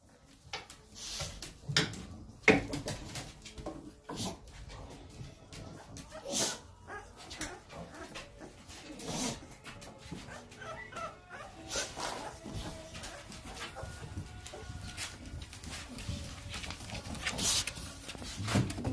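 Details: Chunky American Pocket Bully puppies, 26 days old, give soft whimpers and squeaky whines scattered through the recording, with short faint harmonic cries, amid rustling, handling knocks and occasional low voices indoors.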